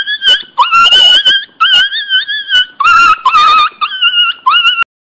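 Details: Pinscher puppy named Teco crying very loudly indoors. A run of about six high, drawn-out whines, each held steady for up to a second with wavering, sometimes rising pitch. Short breaks and faint rustling fall between them.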